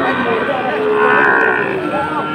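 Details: Bawling from Sahiwal bull calves at a cattle market in Chattogram on 22 October: a steady, tonal moo held for about two seconds over a dense, noisy crowd.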